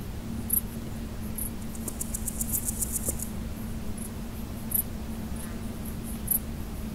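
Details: Male large gold grasshopper, Chrysochraon dispar, stridulating: a short burst of about ten quick, high, ticking pulses lasting just over a second, with scattered single clicks around it over a steady low hum.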